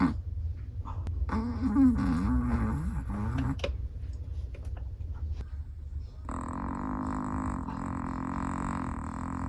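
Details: Chihuahua snoring in sleep, with a warbling, rattly snore of about two seconds, a quiet pause, then a long even droning snore that continues to the end.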